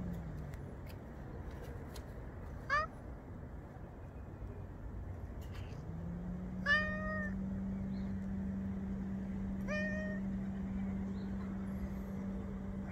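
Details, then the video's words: Grey and white female cat meowing on a fence: three clear, rising-then-falling meows at about 3, 7 and 10 seconds, the first brief, over a steady low engine-like hum throughout. "חתולה אפורה לבנה מייללת על גדר"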